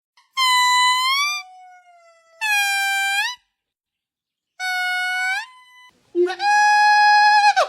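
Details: Monkeys of different kinds giving four loud tonal calls, each about a second long, rich in harmonics; some rise then hold flat, one ends in a trailing lower whistle, separated by clean silent gaps.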